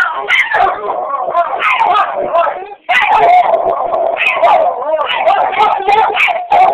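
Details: Roach and Rocco, two pet dogs, howl at each other indoors: loud, overlapping wavering howls and yips in a continuous chorus, broken by one brief pause near three seconds.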